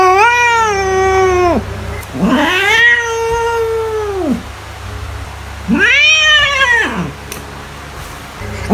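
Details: Cat meowing to scare mice: three drawn-out wailing meows, the first held level then dropping, the second long and arched, the third shorter and rising-falling, with a faint steady hum beneath.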